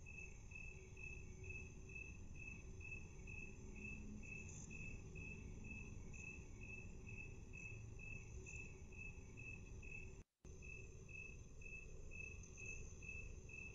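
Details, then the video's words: Cricket chirping at half speed, steady rhythmic pulses about twice a second interrupted by a brief total silence near ten seconds, over a constant high hum and low rumbling noise. "Cricket Chirping 1/2 speed"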